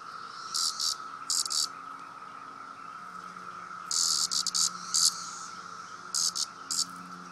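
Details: Cicada protesting at being poked: groups of brief, sharp, high buzzing bursts, some in rapid runs of three or four, separated by pauses, over a constant faint background tone.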